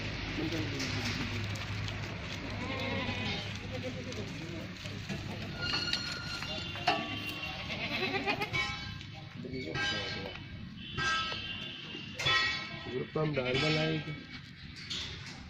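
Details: Goats at a goat farm in Ajmer, Rajasthan, India; several wavering, nasal bleats come in short bursts over a steady low engine hum, with Hindi speech throughout.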